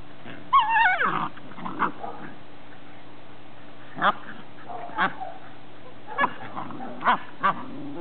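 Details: Ice, a greyhound mother, playing outdoors with her ten-week-old pups: a falling, squealing whine opens, followed by a run of short, clipped play barks spaced roughly a second apart over a faint constant hum.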